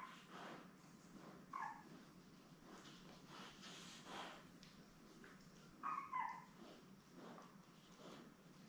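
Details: Newborn Labrador Retriever puppies, seven born May 24, 2021, with their mother Belle on a live puppy cam; two short, soft, high whimpers near 1.5 and 6 seconds over steady rustling and shuffling.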